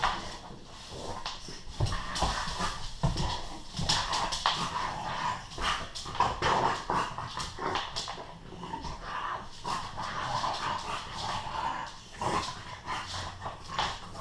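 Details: Bullmastiff and English Bulldog playing rough together upstairs indoors, a female bulldog joining in after half an hour; continuous scuffling with bursts of grunts, growls and short whimpers throughout, no clear barking.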